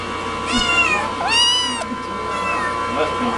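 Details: A hungry house cat gives two drawn-out, bending meows in quick succession, the second longer and louder, as a person speaks quietly nearby.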